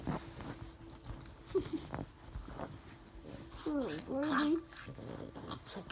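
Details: A Boston Terrier puppy, excited when his owner hides her face and eager to lick faces, gives wavering, rising-and-falling whines and yips, with a person talking nearby.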